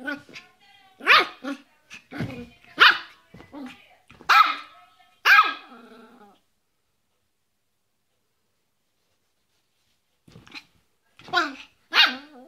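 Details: Yorkshire Terrier with bursts of rapid, high-pitched yapping barks at first. A long silence follows, then a few more sharp barks near the end.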